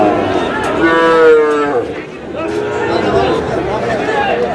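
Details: Young bull calves at a Narsingdi cattle market, with Sahiwal calves on sale: one strained, harmonic bawl that slides downward, then a softer second call, over steady crowd chatter and talk.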